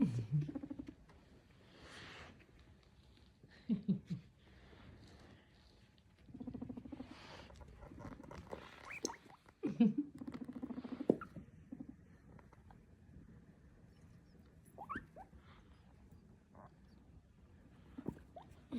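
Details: A guinea pig popcorning under a Christmas tree and pushing toys around makes short, low grunts and rumbles in bursts, with thin rising squeaks near the end, amid scuffling, rattling and pattering.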